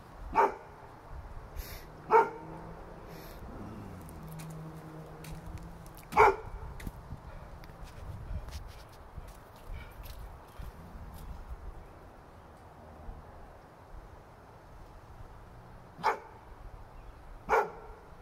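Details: Pet dog barking at nothing in particular, sharp single barks spaced irregularly, a pair close together early, another near six seconds, then two more toward the end, over a quiet indoor background.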